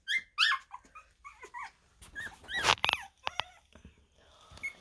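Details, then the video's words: Havanese puppies at two and a half weeks old, indoors: a litter of high squeaky whimpers and short yelps in quick overlapping bursts, some rising then falling, with soft snuffling between calls. "havanese puppies 2,5 weeks"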